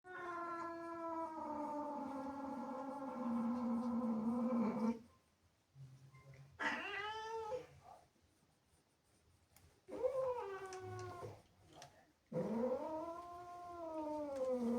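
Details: Angry domestic cat indoors, jealous of playful kittens that came into the house, giving long drawn-out harmonic yowls that sag downward, then short rising-falling wails after pauses, ending with a wavering arched howl.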